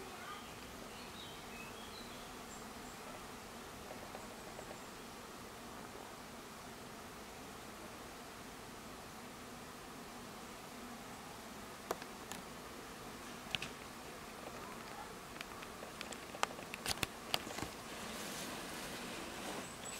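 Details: Bees at a hive give a steady low droning hum with layered tones, joined in the last seconds by sharp clicks and rustling taps.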